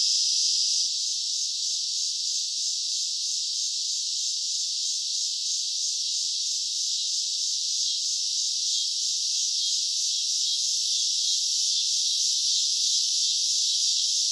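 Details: Summer night chorus of cicadas, a continuous high hissing drone with a slight regular throb, even in volume from start to finish.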